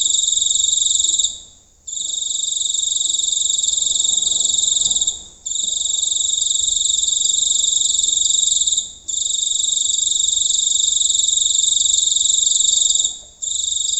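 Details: Giant cricket recorded up close one night in the Indonesian countryside: a loud, continuous, shrill buzzing trill broken by brief pauses about every four seconds; faint low background hum.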